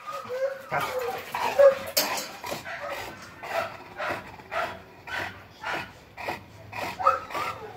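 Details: Bullmastiff dog giving soft whimpers and short yelping barks, rising and falling, roughly every half second to second over a quiet, slightly noisy room background.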